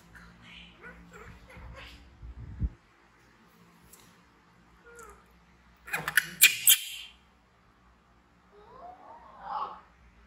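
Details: Baby monkey BEAN, orphaned and raised in a village, frightened and screaming before running to Poppy Brown, with MOMO trying to comfort it; low thumps and rustling, then a harsh, loud burst of rapid screams, later a faint sliding squeal.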